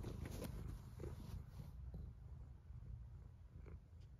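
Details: Low, throaty cat snore, a rough rumbling pulse that is strongest at the start and eases off, with faint crackles scattered throughout.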